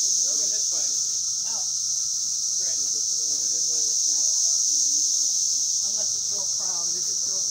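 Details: A Brood X periodical cicada chorus, emerged after 17 years, on hiking trails at Turkey Run State Park with cicadas flying everywhere. A steady, high, ear-numbing hissing drone runs without a break while people talk nearby.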